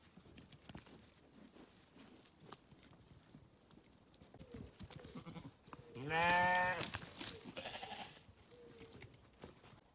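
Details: A single loud, quavering sheep bleat of about a second stands out midway, with only faint rustling and low background noise around it.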